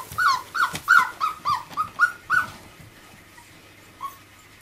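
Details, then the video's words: Five-week-old miniature labradoodle puppies playing with their mother: a rapid series of about seven short, high whiny yelps, roughly three per second, then a pause and one softer yelp. "Labradoodle Puppies Lets play with Mum"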